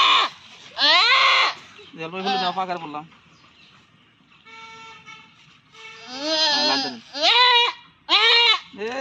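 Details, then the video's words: Local goat bleating during artificial insemination: loud, harmonic, wavering bleats in bursts, several short cries about every second late in the clip, with a quieter tonal stretch midway and a man speaking. "Goat artificial insemination"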